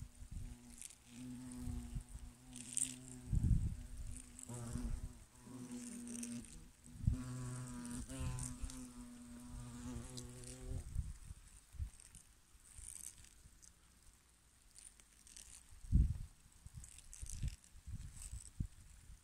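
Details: European hornets working at a hollow in a tree trunk give a deep, droning wing buzz that swells and fades as they fly close by.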